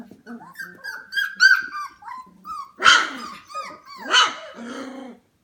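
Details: Several 25-day-old F1 Goldendoodle puppies indoors at 11pm: drawn-out whining cries, then two louder harsh yelping barks standing out, followed by more tonal whimpers.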